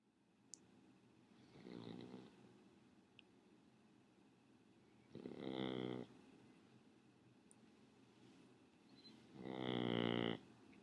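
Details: Shih Tzu named Raleigh snoring while asleep: three long, harmonic, rasping breaths roughly four seconds apart, each lasting about a second and growing louder, with quiet pauses between.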